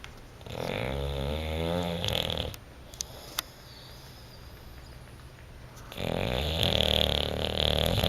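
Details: Bulldog snoring while sleeping and dreaming on a couch indoors: two long, loud, rattling snore phases with rough low rumble and harmonic stacks, separated by a quieter pause of several seconds with faint clicks.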